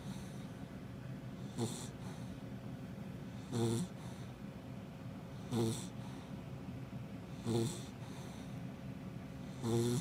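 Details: Snoring from Happy, a nearly five-month-old female Labrador Retriever: five rough, buzzy snores at a regular rhythm of about one every two seconds, each a brief broadband burst, with a soft low hum between them.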